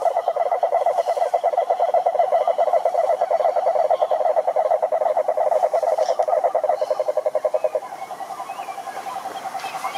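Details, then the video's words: Rhinella marina, the cururu toad, trilling in the wild at a lake in Brazil's Atlantic forest: a loud, rapid, rattling trill for eight seconds, then a quieter, slightly higher trill from another toad continues. "CANTORIA DE SAPOS CURURU"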